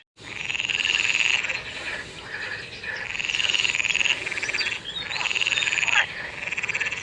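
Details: Frogs sing through the night in the rainy season, giving high, buzzy pulsed trills in long bouts separated by brief pauses.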